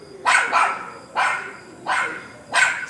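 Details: An unfamiliar dog roaming a garden, just taken in for protection, gives four sharp, bright barks, the first a quick double, spaced roughly every 0.65 seconds apart, with faint background hum.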